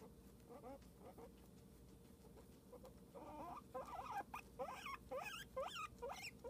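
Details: Pet guinea pig Cosmo begins with a few soft scattered squeaks, then breaks into louder, wavering chirps that rise and dip sharply, coming in quick succession over the final three seconds.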